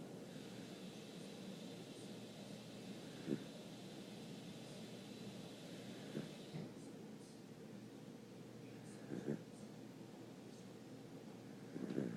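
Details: Dexter, a sleeping dog, snoring: soft, breathy snores recur roughly every three seconds over a steady low hum, with no other clear sounds around them.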